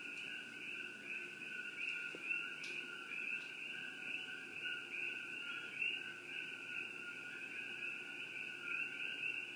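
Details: Continuous chorus of coqui frogs around Shakti-Shiva Palace, many high chirping voices layered into an unbroken ringing drone, with a few faint clicks and taps in the background.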